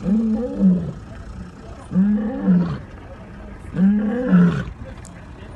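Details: Lions roaring: three loud, deep, moaning roars, each swelling and then falling away over about a second, spaced roughly two seconds apart, with a low rumble between them.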